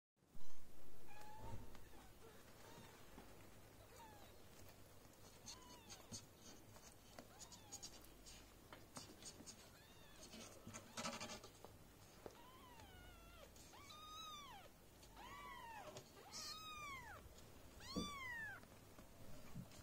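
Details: Golden British mother cat with her four newborn kittens of litter F2 at Esmeraldus Cattery, tending and feeding them; soft faint calls early, then a run of short arched mews, rising and falling, bunched in the final seconds over low rumble.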